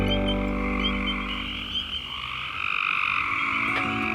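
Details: A dense chorus of spring peepers at night in West Virginia, high shrill peeps with some trilling frogs overlapping into a constant ringing wall of sound.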